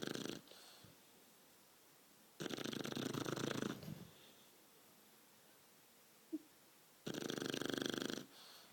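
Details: Shar Pei puppy, twelve weeks old, napping after a long walk. Three loud, raspy snores, each lasting one to one and a half seconds, with quiet pauses of roughly three seconds between them.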